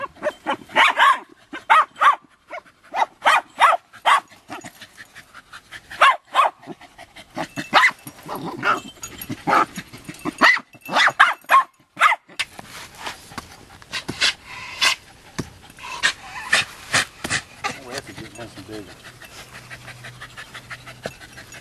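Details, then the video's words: Two Jagdterrier females, Luco and her six-month-old pup Effie, bark while working an armadillo, Effie's first lesson, in 90-degree heat during a seven-week drought. Loud, sharp barks come in quick bursts, then thin out toward the end. "Jagdterriers Luco and Effie working armadillo"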